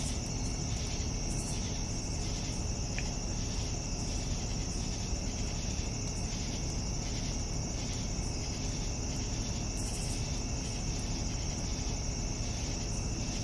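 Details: Crickets on an evening, their high continuous trill swelling and fading in regular pulses, with a heavy low-pitched hum underneath throughout.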